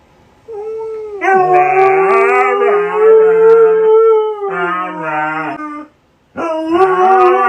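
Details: Husky howling in long, sustained, wavering tones with rich harmonics, two voices at different pitches overlapping, broken by a short silence before a final rising howl.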